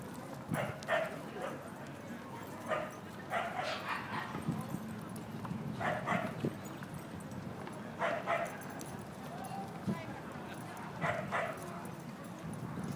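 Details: Basenji dog giving short, tonal, harmonic yelps or yodel-like cries in separate bursts roughly every one to two seconds, some doubled, over steady low background hum.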